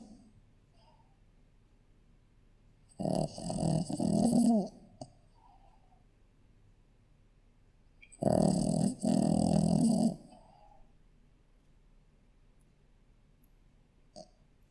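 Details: Shih Tzu puppy asleep, giving two softer, rough snoring breaths roughly five seconds apart, each a buzzy low rattle lasting under two seconds, with faint room hiss between.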